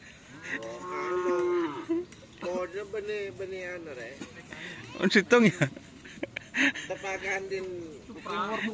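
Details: Cattle at a training session for karapan sapi bull racing: drawn-out harmonic moos of about a second or more, mixed with shouting voices and background noise.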